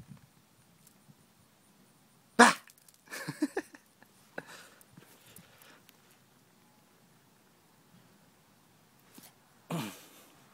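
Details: A female Boston terrier/pug mix puppy picks a fight with a praying mantis on a Saturday afternoon, giving a few sharp, huffy barks and snorts with quiet gaps between them.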